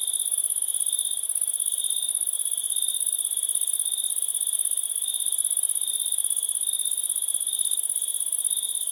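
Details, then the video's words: Dense, even cricket trilling that runs without pause, rapid pulses layered over a very high hiss-like band and a shrill lower tone, with a faint periodic swell. "Cricket 1"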